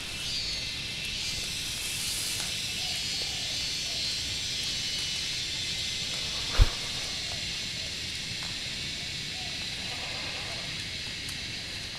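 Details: Insects on a mountain at Wat Phrathat Doi Suthep, Chiang Mai, northern Thailand fill the air with a dense, steady high-pitched buzz without pause, a mating call, with an answering call.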